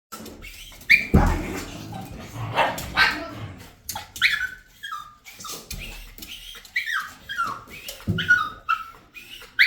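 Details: A dog whines in a series of high, tonal, downward-sliding cries, several short bursts spaced a second or so apart, while a woman talks and household clatter sounds in the background.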